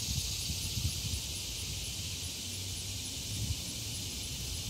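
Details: Ordinary yearly cicadas singing on a summer day beside a road that had fallen calm, caught by a camera mic; a continuous shrill buzz holds without break over soft low-frequency outdoor noise.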